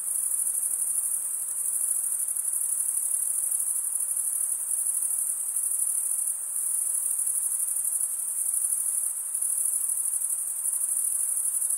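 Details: Chirping crickets fill the recording with a shrill, constant pulsing hiss at a single high pitch, loudness swelling and easing slightly now and then, and no other animals or background sounds present.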